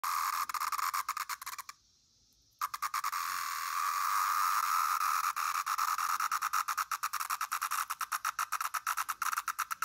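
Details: A male Brood XIII pharaoh periodical cicada (Magicicada septendecim), recorded indoors in Naperville, Illinois, on May 29, 2024, gives a harsh, buzzing distress call in rapid stuttering pulses, broken by a brief pause.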